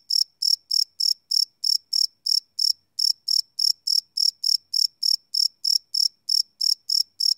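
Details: Crickets at night, live field recording on a Sony PCM D100: crisp, high-pitched chirps ticking about three per second, a short hesitation partway through, then the rhythm resumes; nothing else audible.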